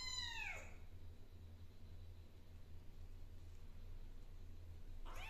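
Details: Kitten named Zizi, indoors while scratching her claws on a blackboard, gives a clear meow that slides downward at the start, then a second short meow begins right at the end; a steady low hum fills the quiet gap between.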